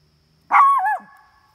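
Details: Dog at a campsite, one of two barking at coyotes they smell close by: a single loud, harmonic bark that holds briefly and then dips before trailing off, with nothing else heard.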